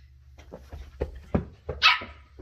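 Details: Ollie, a 10-week-old female Shetland Sheepdog puppy exploring and discovering new things, lets out one sharp, high yapping bark after a few soft thumps and patters of movement.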